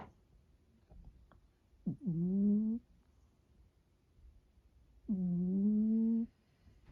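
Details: Domestic cat snoring during an afternoon nap indoors: two drawn-out, humming snores with a steady low tone, each about a second long and spaced roughly three seconds apart, in a quiet room.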